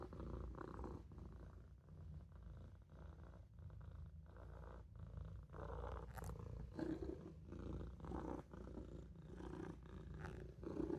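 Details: Maine Coon kitten dozing in a sink, with a low, vibrating purr running continuously through inhales and exhales, growing slightly louder near the end.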